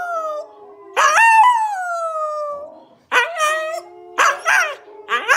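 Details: Siberian Husky howling while watching videos: a long sliding howl that falls steadily in pitch, then shorter bent howls and yips in quick succession, with a faint steady tone from the screen underneath.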